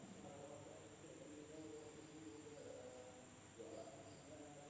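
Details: Insects calling at night in an Indonesian village, with a constant shrill drone held on one high note and lower trilling, pulsing notes rising and falling in short overlapping bursts.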